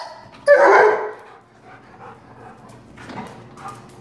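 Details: Female black Labrador, two years old, gives a single loud, rough bark while playing excitedly with balloons. Quiet room noise and faint sounds follow.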